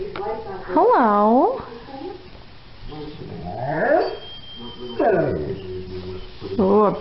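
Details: Great Dane in a funny home compilation giving drawn-out, yawning vocal groans: an arched, wavering whine near the start, then rising and falling moans, while a person coaxes "come here" in the background.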